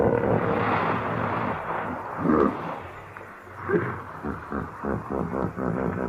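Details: Hippopotamus (Hippopotamus amphibius), call.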